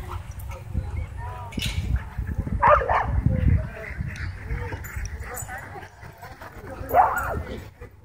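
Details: Dogs at a dog park, worked into a wild frenzy by a DJI Mavic 2 drone, give two sharp, loud barks several seconds apart, mixed with human chatter and low rumbling noise.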